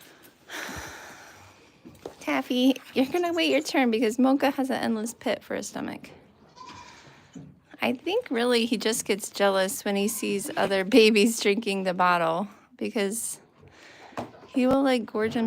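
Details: Several goats bleating repeatedly at The Willful Goat Farm & Home, tremulous nasal cries overlapping one another, with one long wavering bleat near the end and indoor background noise.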